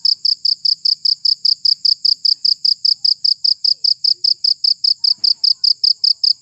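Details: Rapid, metronome-like cricket chirps, meant for scaring off rats, ring out high and clear, around four pulses per second, with one faint click midway.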